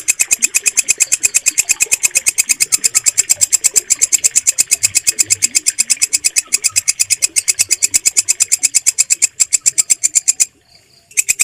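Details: Walang kecek bush cricket, a green grasshopper-like insect used for mastering songbirds, calling as a steady train of sharp, high, buzzy pulses, about seven per second, that breaks off briefly near the end.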